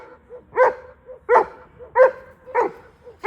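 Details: German Shepherd barking, short bark bursts repeated roughly every two thirds of a second with softer yips between, people speaking Mongolian nearby.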